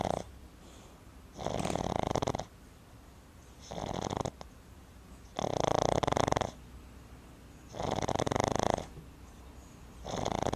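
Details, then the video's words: A Boston Terrier puppy snores loudly in rasping bursts about every two seconds, with quiet pauses between, after spending the day at the river. "Boston Terrier Puppy Snoring"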